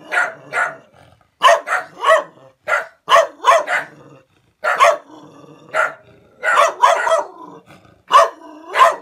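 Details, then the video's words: Barking dog confronting a stranger, giving harsh woofs in pairs and short runs separated by brief silences. "Dog barking woof woof"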